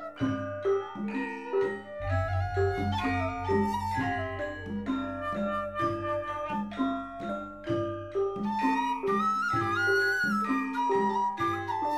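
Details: Melodic instrumental music with flute-like and marimba-like tones over a steady bass, and no animal sounds.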